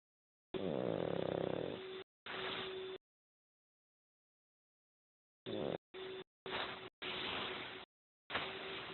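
A Pekingese snores in rough, rasping breaths, with pauses between bursts.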